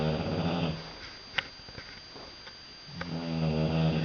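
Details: Sleeping British Bulldog giving loud snores, a deep buzzing rattle at the start, then a quiet gap with faint clicks before another rough, throaty snore builds up at the end.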